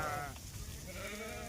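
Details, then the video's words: Goat out grazing with a Dhangar herder: a brief nasal, harmonic bleat at the start, then a second steadier bleat, over outdoor background noise. "बकरी आलो चारायला"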